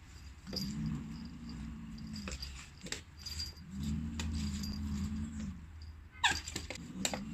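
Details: Pet Schnauzer named Laifu, just slapped twice by the household cat Guozhi, gives two low, wavering whining growls, each about a second and a half long, over a steady low hum, with a few sharp clicks and a brief noisy burst near the end.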